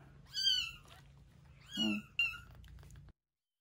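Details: Rescued kitten about a week old, eyes newly open, being fed milk indoors; three thin, high-pitched mews, each short and slightly falling, spaced about a second apart, then silence.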